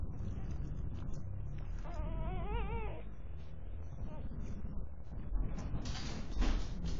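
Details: One-day-old German Pinscher puppies from Elsa's 2021 litter: a single wavering, high whining squeal of about a second, then soft rustling and shuffling noises.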